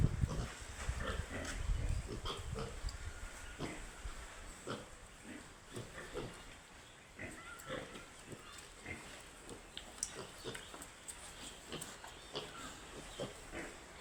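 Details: Baby pigs keep up a stream of quick, uneven grunts and snuffles, a low rumble at the start, then steady scattered snorts roughly every second or two.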